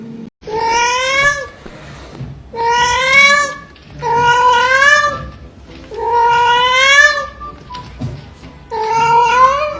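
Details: Domestic cat yowling indoors: five long, drawn-out, strongly harmonic meows, each about one to one and a half seconds, repeated roughly every two seconds with a slight rise and steady pitch, short quiet gaps between.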